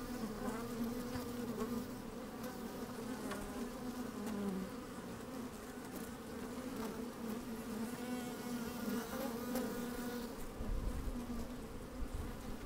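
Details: Honey bees at work inside an open hive on a fine sunny day, microphone slid down among them: a dense steady drone with strong bands around the low-middle range, occasional louder buzzes, and low wind rumble near the end.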